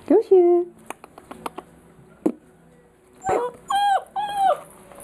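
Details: Petit Basset Griffon Vendéen dog giving high, tonal whining calls: one early drawn-out whine, then a cluster of three wavering, slightly falling whines, with quiet clicks and shuffles between.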